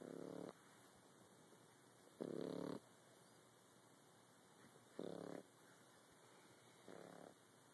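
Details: A French Bulldog puppy snores in the morning in rough, raspy bursts roughly every two to three seconds.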